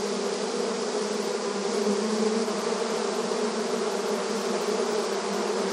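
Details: Crowd of honey bees working at the front of their hive, rural ambience: constant humming buzz with two strong low tones under a wash of wingbeat hiss, level and uninterrupted.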